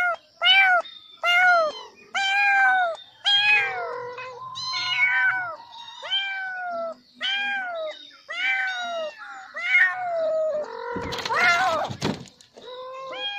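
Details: Several kittens crying loudly at a snake, giving a steady series of about fourteen high, arched meows with a few lower drawn-out calls, and a brief rough, noisy burst near the end.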